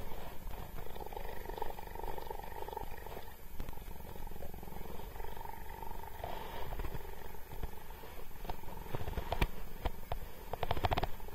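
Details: Cheetah James, a captive cheetah at Cheetah Experience, interacting with a man; a steady low rumbling purr runs throughout, with a few soft clicks and handling noises over it.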